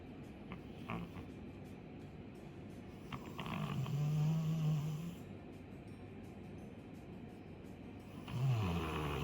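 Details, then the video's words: Two-year-old Labrador Retriever Chappy, a female, snoring deeply in her sleep: a long, low, rasping snore in the middle, then a second one beginning near the end, with faint clicks and soft hiss between them. "2歳の女の子なのに パパに負けず劣らず大いびきのラブラドールレトリーバー"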